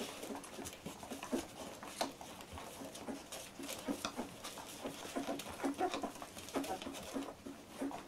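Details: Fourteen-day-old Labrador Retriever puppies from a litter, giving faint, thin squeaks scattered over steady rustling and shuffling noises indoors.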